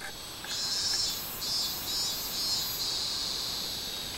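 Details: Robust cicada (minmin-zemi) singing on 24 July 2016, a high buzzy drone pulsing in loud surges roughly every half second over a steady hissing background.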